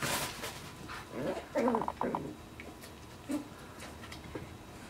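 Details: West Highland White Terrier mother named Roxanne teaching her six-week-old puppies; short yips and whining calls in a brief cluster, one louder squeal near the middle and a lone yip later, in a quiet indoor setting.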